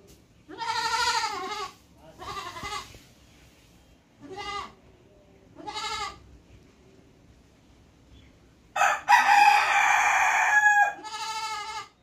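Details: Goat giving a series of short quavering bleats every second or two, followed by a longer, harsher, noisier cry lasting about two seconds and then one more bleat.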